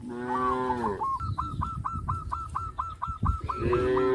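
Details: Cow on a traditional village farm lowing in a long harmonic moo that slides downward, then a second moo near the end. Between them a bird repeats short, sharp hooked calls about every quarter second over low rumbling farm noise.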